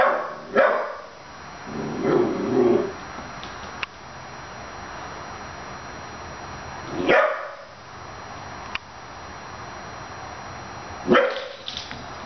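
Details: Fifteen-week-old puppy, miffed at a stuffed dog, gives sharp single barks several seconds apart, with a lower, rougher grumbling bark sequence early on and a few small clicks between, over low room hiss.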